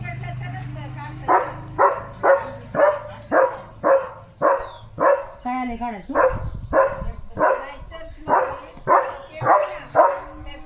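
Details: German Shepherd dog barking excitedly over a chicken chips treat: a rapid run of sharp, harmonic barks roughly every half second, with a brief whining, wavering yelp midway; speech from people nearby.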